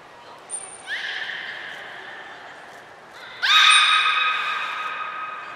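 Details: Beluga named Gray at Port of Nagoya Public Aquarium, Japan, on 3 February 2023, being moved to another pool. It gives two harmonic, squealing calls that sweep upward and then hold steady. The second call is louder and longer.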